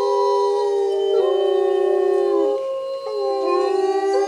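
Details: Bays Mountain Park wolves chorus-howling in the rain: a dense stack of sustained pitched voices, some dipping and rising while others hold flat long notes.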